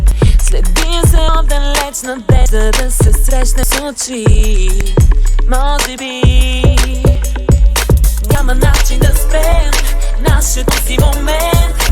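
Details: Loud music with a heavy beat and sung vocals plays throughout, with no animal call audible.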